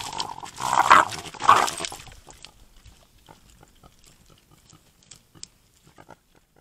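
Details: Javelinas crowd a too-small desert pond to cool off on a hot Tucson, Arizona night. Moms with babies are among them, and a trail camera is recording. Two abrupt, raspy growling outbursts about half a second apart are followed by several seconds of soft shuffling and splashing-like ticks.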